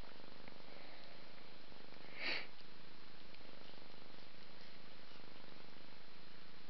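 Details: Domestic mother cat bathing her five-month-old kitten Ming indoors: a low, even purr carries on, interrupted once by a short sharp lick or sniff.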